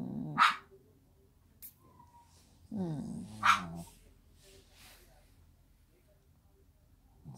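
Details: Lotto, a pet Shih Tzu, gives two sharp, loud barks about three seconds apart, with a woman speaking softly to the dog between them.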